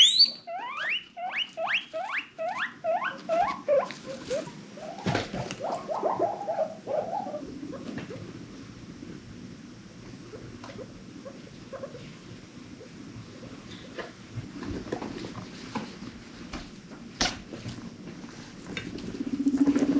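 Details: Domestic guinea pig from a rescue-adopted herd giving happy wheeks: a rapid run of about a dozen sharp, high squeals that sweep downward, each repeated roughly every third of a second, then fading into softer low chatter and rustling.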